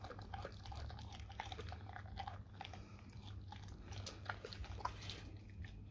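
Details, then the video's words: Dog gnawing on raw cow tongue, with rapid, wet, squelching chews and sharp little crunches over a low droning background. "dog eat raw Cow tongue"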